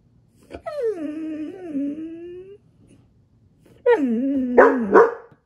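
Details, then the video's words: Siberian Husky giving a long drawn, wavering whine-howl lasting nearly two seconds, a pause, then a shorter rising-falling howl with rough edges, in an indoor setting. "Maya Husky Talks To Alexa"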